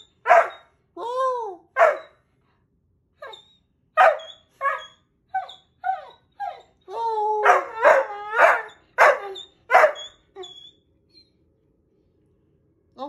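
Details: A wolfhound puppy howls on command in short bursts, each a quavering, slightly rising yowl that breaks off after about a second, growing fuller and more insistent before trailing away.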